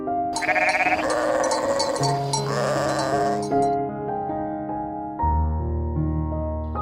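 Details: Sheep in a meadow with companions, one loud quavering bleat lasting about three seconds with a harsh, trembling tone, followed by calm instrumental music alone.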